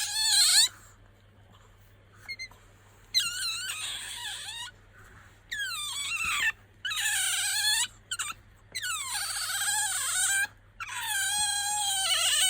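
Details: Bingo, a pet otter, calls out when sleepy or wanting attention. Bursts of high, harmonic-rich squealing of about one to two seconds each, separated by short silences, rise and fall in pitch.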